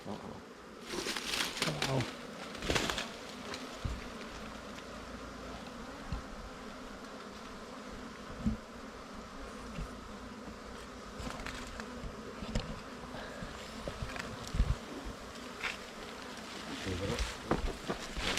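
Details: Humming swarm of wild bees at a nest being opened by honey hunters, a continuous droning buzz broken by thumps, knocks and rustling from the digging and handling.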